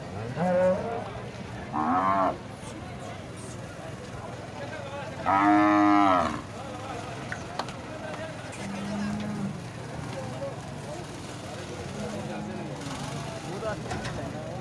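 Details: Sahiwal cattle at a livestock market in Muhammad Pur, Pakistan: loud harmonic moos, one brief near the start, a stronger drawn-out bellow around five to six seconds, then lower, softer lows from other animals over constant crowd chatter and market murmur.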